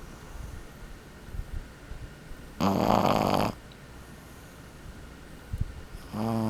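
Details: Sleeping twelve-week-old Boston Terrier puppy snores indoors: one loud, buzzy, roughly one-second snore, a quiet gap with faint soft breaths, then the next rattling snore beginning at the end.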